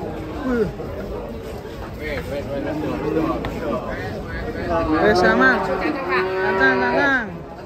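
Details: Cattle being unloaded from a truck, lowing in several drawn-out, wavering moos that rise and fall, the loudest near the end, over background chatter and human voices.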